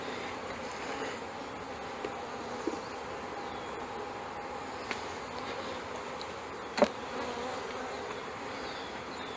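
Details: Honey bees being installed from a package into a hive in May 2013: a steady, dense hum of many bees, with a few sharp clicks and taps.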